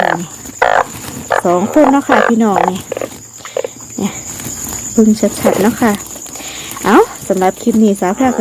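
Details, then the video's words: A chorus of oeng phao and oeng yang frogs gives overlapping low, warbling, nasal croaks in irregular bursts. A faint high whine runs through the background. "อึ่งเผ่า อึ่งยาง"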